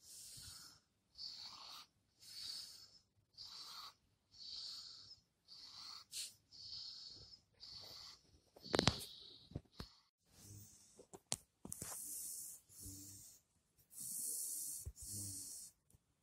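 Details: Shiba Inu the day before dying, struggling: hissing, wheezy breaths repeated roughly every second, airy and high-pitched, with a few sharp clicks and louder rasping gasps toward the end.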